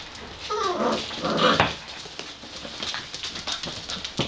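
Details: A five-week-old Gordon Setter puppy from Niki and Junior's litter produces a drawn-out, wavering whine lasting about a second, then fades into light tapping and shuffling noises from the pups.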